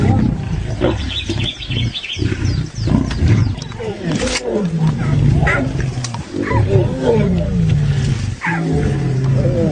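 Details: Lions of a pride fighting, giving deep, rasping growls and snarls with rising and falling tones, overlapping and nearly continuous, punctuated by short harsh bursts.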